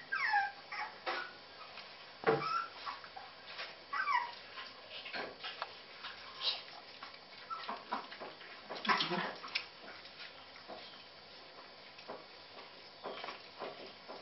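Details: Puppies eating cat food, which they prefer to puppy food, give high, thin whimpers and short yips, many rising and falling whines repeated irregularly over soft rustling, with one louder cluster of yelps near the middle.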